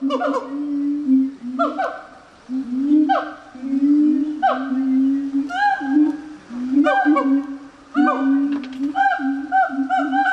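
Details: Gibbon call sequence: repeated sharp upward-sweeping whoops, roughly one every second or so, over a steady low hooting tone. The phrases accelerate toward the end.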